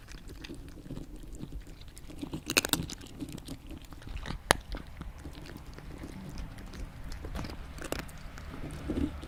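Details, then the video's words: A cat eating with sparse, irregular crunching bites and a few sharp clicks over quiet low room noise, ending with a short exclamation from a person. "Cat/ Animal Eating"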